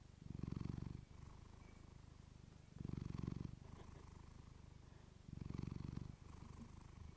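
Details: Female house cat purring up close on a fluffy-covered mic, deep rhythmic rumble in three strong surges about two and a half seconds apart with softer purring between, otherwise quiet indoors.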